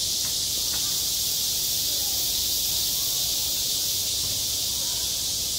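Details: Summer cicadas at a school playground fill the air with a constant, high, grating drone, very even in loudness, with a couple of faint ticks at the start.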